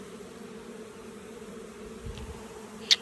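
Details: Honey bee swarm being caught and boxed, a steady droning hum holding two low pitched bands, even and unbroken throughout, with a faint tap and a sharp click near the end.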